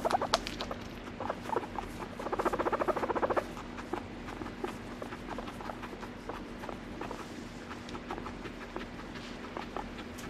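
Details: Indoor guinea pig giving a dense, rapidly pulsed vibrating call that lasts about a second and a half. Scattered clicks, light tapping and a constant low electrical hum fill the rest.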